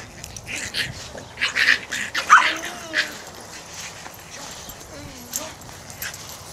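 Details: Boston Terrier puppies playing in a front yard with the big dogs on 24 August 2009. Two short, thin whimpers slide downward, with scuffling, light knocks and quick footfalls between them.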